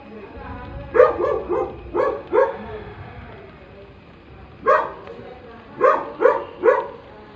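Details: Labrador retriever puppy barking: short, punchy yaps arriving in small bursts of two or three, roughly nine in all, separated by brief pauses, over a faint steady background hum.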